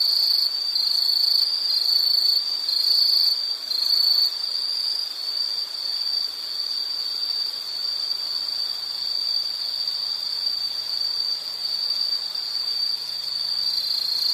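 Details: A high, shrill insect trill with a faintly pulsing texture during the first four seconds. It then settles into an even, unbroken drone. A soft low hum creeps in toward the end.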